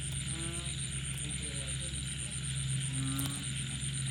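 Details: Frogs at night after rain give several brief, nasal croaks a second or so apart, some louder and nearer, set against constant high insect trilling and low background hum.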